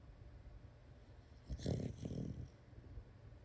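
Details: Sleeping female Shiba Inu making a rough, low snoring sleep-talk sound lasting about one second, two pulsed bursts close together, in a quiet indoor setting.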